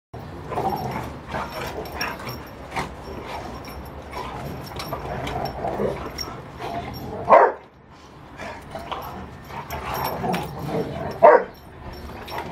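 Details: A Rottweiler in rough play gives low grumbling growls and sharp yips, with two louder bursts standing out.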